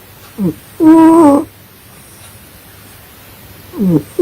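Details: Snoring cat while sleeping, one long steady nasal tone rich in overtones between short squeaky intakes, separated by a couple of seconds of quiet hum.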